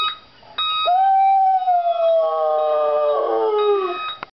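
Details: Pet dog howling at an alarm clock indoors: one long sustained tonal howl that starts high, holds steady, then slowly slides downward over about three seconds, with a steady electronic alarm tone running underneath.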